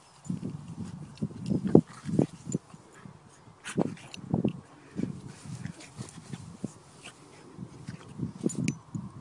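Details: A French Bulldog rolls about in a meadow with loud, low, rhythmic snorts and grunting breaths that come in bursts. The bursts have short pauses between them, and there is soft rustling throughout.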